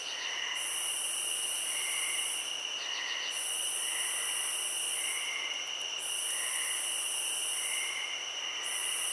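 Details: Meditative cricket ambience from a field, with a steady high trill throughout and an even shriller buzz cycling on and off roughly every three seconds, broken by quick rattling pulses and soft repeated chirps.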